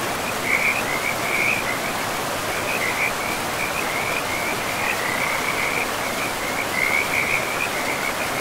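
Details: Frogs calling in a pristine forest beside a river: a steady chorus of trilled, rattling calls around one pitch, pulsing in short bursts over constant rushing water.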